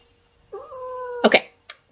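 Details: Seven-year-old female pet cat held indoors while 'singing' along to Twinkle Twinkle Little Star: a steady, drawn-out tonal meow about three-quarters of a second long, ending in a short harsher burst, with a faint steady hum behind.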